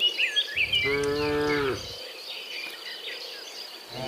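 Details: Cows walking home from the fields to the pen in the afternoon; a single moderate moo under a second long, surrounded by busy bird chirping and insect buzz.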